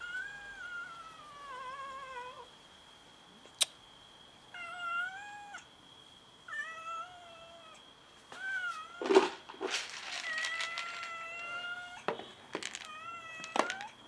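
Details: Several domestic cats fighting each other over food: a series of drawn-out meows, some falling and some wavering, with a loud scuffle and sharp thumps and clatters near the end.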